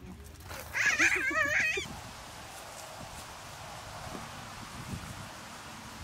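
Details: Goat, with an adult and a baby goat present, gives one wavering, quavering bleat lasting about a second. A quiet outdoor hush with faint low rustles follows.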